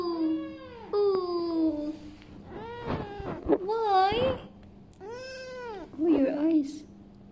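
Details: Kitten meowing indoors: a run of five or six clear, high, harmonic meows, some drawn-out and falling, others arched or wavering, with short pauses between them and a faint steady hum underneath.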